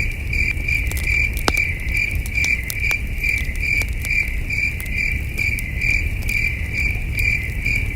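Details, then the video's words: Under a starry sky at a campsite, distant crickets keep up bright, rhythmic chirping, around two to three pulses each second, mixed with crackling firewood and a low, breezy rumble. "Camping Under a Million Stars with Soothing Cricket Sounds"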